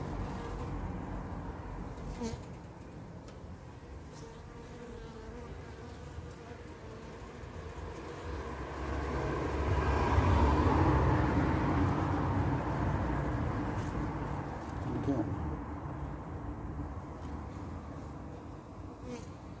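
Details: Apis mellifera carnica workers at the hive entrance after their queen's short orientation flight; a deep buzzing drone swells louder around the middle, then eases off again.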